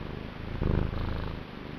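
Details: Loud, close purring from the male house cat Niku: a deep, strongly pulsed rumble that surges briefly, then eases to a softer even purr.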